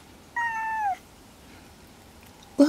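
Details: Sick male house cat refusing food: a single clear meow, steady then falling at the end, followed by quiet, then a brief noise and faint speech.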